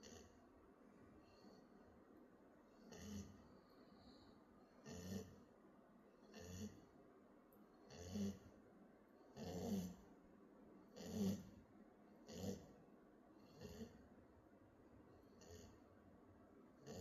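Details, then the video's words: A sleeping puppy snores in soft, regular breaths, each rasping snore swelling and fading roughly every one and a half seconds, low and broadband against a quiet room background. "Snoring Pupy"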